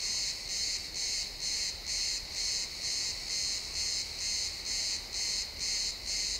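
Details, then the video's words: Pine forest crickets at sunset give rhythmic shrill chirps, about two pulses each second, regular and unbroken, captured as a stereo XY recording with only quiet ambient hiss beneath. "Cricket sounds in the pine forest"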